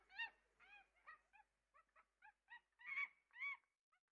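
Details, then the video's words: Monkey giving a rapid series of short harmonic hoots and chattering barks, some rising then falling, about two per second, ending in two louder strained squeals; quiet background. "monkey sound"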